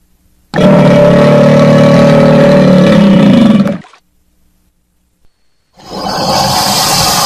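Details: Crocodile's deep, steady, humming growl lasting about three seconds and fading out. After a short silence comes a rougher, hissing burst of noise.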